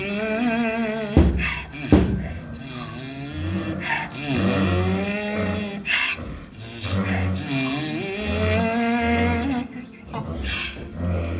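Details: A 29-year-old miniature donkey, 28 inches tall and an extroverted brayer, brays with harsh wheezing breaths alternating with deep, drawn-out honking tones.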